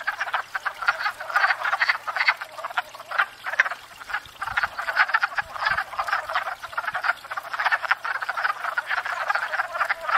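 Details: Many wood frogs calling at a pond in spring, courting and breeding after thawing; raspy clucking croaks tumble over one another in a steady racket, with brief low thumps near the middle.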